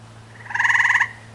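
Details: Tree frog perched in the crook of a tree, throat swelling as it calls: a loud half-second trill of rapid pulses, harmonics stacked near one and two kilohertz, with faint background hum.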